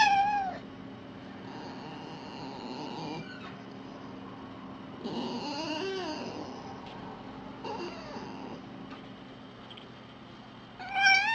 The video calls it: fox sounds